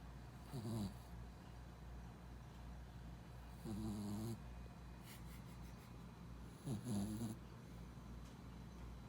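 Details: A four-month-old Pembroke Welsh Corgi puppy sleeps at a pet-friendly inn, tired from much play on a trip; low grating snores come about every three seconds, each roughly half a second long, in a quiet room.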